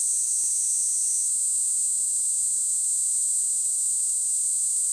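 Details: Continuous piercing buzz of a Kaempfer cicada, very high and level, a slightly richer layered tone fading after the first second, then an even drone to the end.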